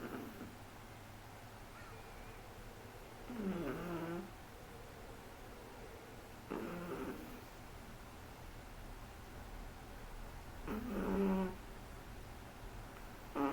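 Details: Shih Tzu puppy, three months old, snoring indoors: three or four rough, rattling breaths several seconds apart, softer and more irregular, with low background hum.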